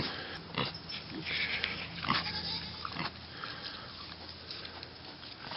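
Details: Mini pig piglets on a mini pig farm: short, rough, broadband grunts and snorts come in irregular bursts, with a quiet low hum underneath and some soft handling noise.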